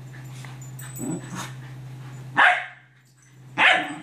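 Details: Scottish Terriers chasing a toy: soft rustling and a low grumble, then two loud, sharp single barks a little over a second apart.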